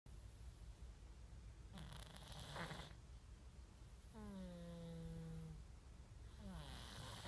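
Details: A sleeping cat snores, recorded on an iPhone 5s: a breathy rasping burst, then a long droning, slightly falling nasal tone lasting over a second, followed by another rising into a new breath, with a faint steady hiss underneath.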